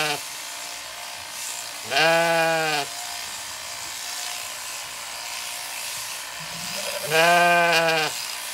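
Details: Zwartbles sheep on a regenerative farm in County Kilkenny, Ireland, where lambs failed to recognise their newly shorn mother; two deep, drawn-out bleats about five seconds apart, each close to a second long, over steady background hiss.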